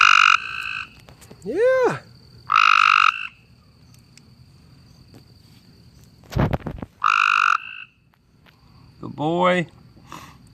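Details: A frog out in a yard at night calls in short, nasal, buzzy bursts with a few rising-and-falling chirps between them, and it stops calling as soon as a light is switched on.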